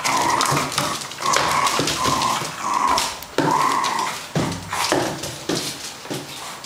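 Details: P jai, a two-year-old male fox terrier in a Hong Kong home, savages a carton box in the evening, giving a string of short, tense whining growls between sharp cardboard rips and thumps.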